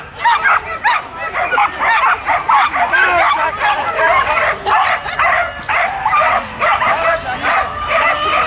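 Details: Working border collies barking excitedly and repeatedly during a run on a trial course, with crowd applause and a person speaking nearby.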